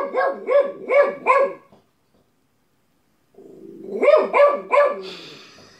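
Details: Domestic dog giving two runs of three to four quick, loud barks about a third of a second apart, split by a silent pause, the second run preceded by a low grumble.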